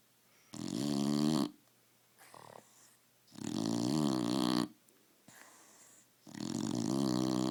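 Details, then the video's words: Roxy the dog asleep, loud rattling snores coming in three long bursts roughly every three seconds, each with a buzzing throaty drone, and softer short breaths between them. "Snoring dog"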